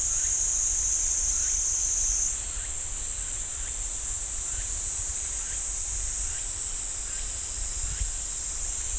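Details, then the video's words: Cicadas singing in a pine forest at Ssanggyesa temple, Jirisan National Park, South Korea: a continuous high, shrill buzzing drone that steps slightly higher partway through, with faint short bird-like chirps and low rumble beneath. "지리산 쌍계사 소나무 숲 매미 소리"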